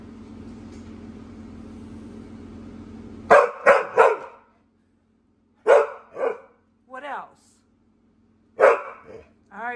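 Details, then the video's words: Pit Bull Mary, a female pet, complaining indoors while offered toys because she is bored; a low hum at first, then bursts of three quick barks, warbling whines and further barks. "Mary The Pitbull Dog Talking And Complaining"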